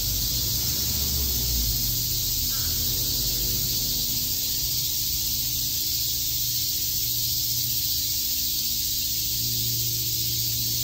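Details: A summer cicada chorus at Shakujii Park in Tokyo fills the air with a steady shrill buzz, while low droning hums and faint distant sounds run beneath.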